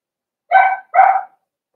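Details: Cavalier King Charles Spaniel puppies, four weeks old, in an indoor puppy pen while being socialized with other dogs; two short, sharp, harmonic yips in quick succession, each about a third of a second long, in a quiet room.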